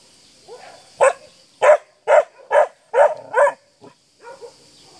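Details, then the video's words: A 7-month-old Akita gives a series of deep, hoarse barks in quick succession, barking at a horse. "Cave Canem ... Akita bark to an horse"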